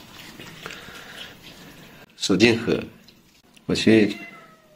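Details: Indoors, more than a dozen fat domestic cats are fed milk; after murmured human speech come two loud, drawn-out meows about a second and a half apart.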